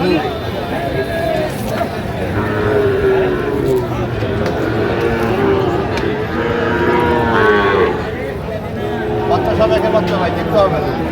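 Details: Market-day lowing of Sahiwal bull calves in Jamalpur, Bangladesh, 31 August 2025: several overlapping nasal moos of differing lengths follow one another through the clip, mixed with background voices and crowd hubbub.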